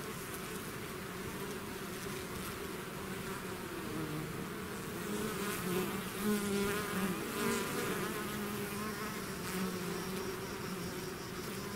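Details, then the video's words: Bees swarming from the hive produce a rich, steady buzz whose pitch wavers as individuals pass nearer, growing louder in the middle before easing, with no birds or voices present. "bees therapy swarm natural buzzing sound"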